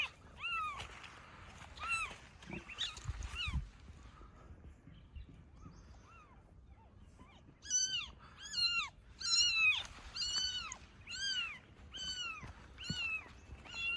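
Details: Domestic cat outdoors, a mother found carrying her newborn kitten: a few scattered meows at first, then a steady run of about eight clear, arched, harmonic meows, roughly one every 0.7 seconds, with brief quiet gaps between.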